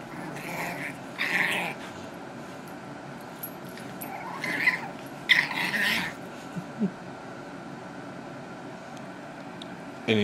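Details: Toby, a new Boston Terrier puppy with needle-sharp teeth, gives short yipping barks and growly whines in bursts while playfully biting; a person cries out in pain and asks for him to be picked up.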